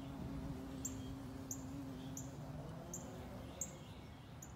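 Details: A carpenter bee in flight, investigating an area near a carpenter bee trap, gives a steady, low droning buzz, with faint high chirps repeating in the background.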